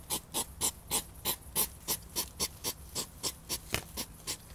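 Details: European hedgehog puffing during mating, labelled a hedgehog fight. Quick, airy snorts pulse almost four times a second, evenly spaced, hissy and sharp-edged.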